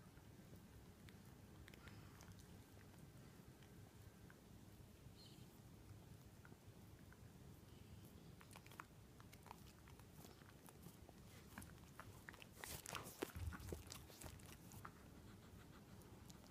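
A Miniature Dachshund licks nonstop, making soft, rapid wet smacking and clicking sounds in a quiet room.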